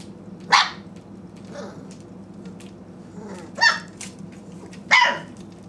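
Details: Four-week-old Great Pyrenees puppies from a litter of eight, indoors waiting for food warming in a microwave; three short, sharp barks spaced a second or more apart over a steady low indoor hum.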